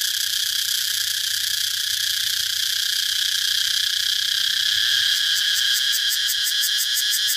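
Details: Shrill cicada drone, steady and high, breaking into a fast series of regular pulses, roughly four per second, during the final couple of seconds.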